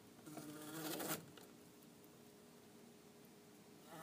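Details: Orange-belted and yellow-faced bumble bees in an insect tank make a brief loud rasping buzz near the first second, then a faint steady hum continues under quiet background.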